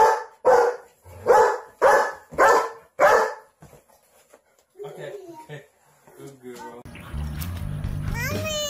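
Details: German Shepherd guarding babies and children, giving five strong barks in a steady rhythm about every half second. Quiet follows, then human speech, and then music.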